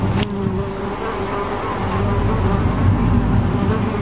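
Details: Bees give a thick, low, continuous buzz with a strong deep hum and a brighter overtone above it, growing slightly louder; a sharp knock near the start.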